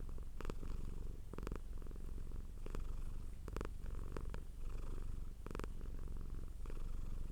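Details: Domestic cat purring strongly in a steady low drone, interrupted by repeated short rustles roughly every second.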